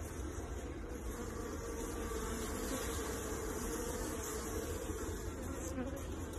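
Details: A thick, even buzzing of many honey bees kept for honey holds steady throughout, a low, rough hum with no gaps and a faint hiss above it.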